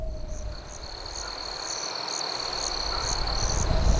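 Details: Crickets chirping at night with a campfire: clear bursts repeat about every half second over a constant high trill, while low crackling fire noise swells toward the end.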